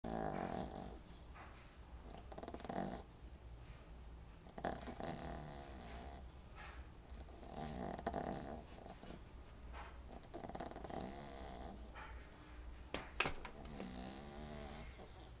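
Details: Small but loud pet dog snoring indoors: rough, breathy broadband snores recurring every few seconds through a low steady hum, with a sharp click near the end.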